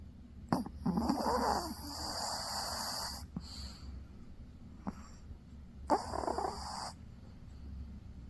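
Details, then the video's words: A sleeping dog snores in two raspy, breathy bursts, the first about two seconds long and the second about one second, separated by a quiet pause with a few faint clicks. "강아지 코골이"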